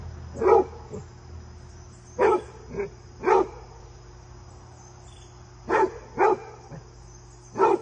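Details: Basset hound named Fred, filmed across several visits with a deer companion, gives about eight gruff barks in irregular bursts, some doubled, with long pauses between; a faint constant high-pitched hum runs throughout.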